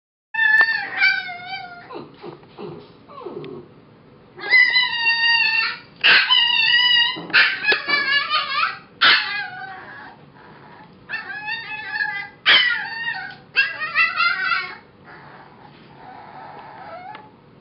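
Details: Young foster puppy, said to be six weeks old, singing: high, wavering howls and yips broken into short bursts of a second or two, some rising then falling, with brief quiet gaps between.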